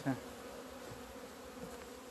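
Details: Honey bees in February 2020, emerging into the sunshine after two months of winter confinement; continuous low buzzing of many bees, with a brief louder knock at the very start.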